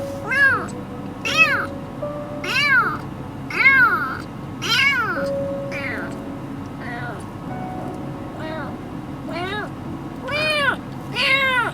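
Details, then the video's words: A rescued baby kitten, exhausted after crying day and night for three days, cries in high, arched meows about once per second, over and over, while a person talks softly in the background. "3일을 밤낮으로 쉬지 않고 울다 지친 아기고양이"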